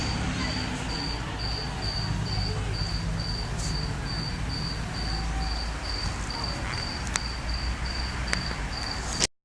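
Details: Cricket in December chirping in a steady, high-pitched pulse several times each second, set against a continuous low roar of traffic and a couple of sharp clicks near the end.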